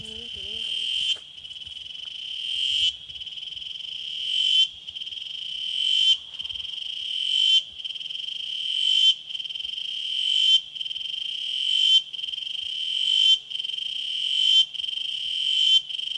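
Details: Chicharras, or cicadas, from Chimalapas Mountain: loud buzzing calls, each swelling in volume then cutting off sharply, repeating about every one and a half seconds, with a steady high shrill band beneath the broad hiss.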